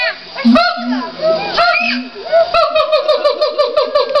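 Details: Siamangs at the LA Zoo give loud whooping hoots that speed up into a run of rapid, barking notes.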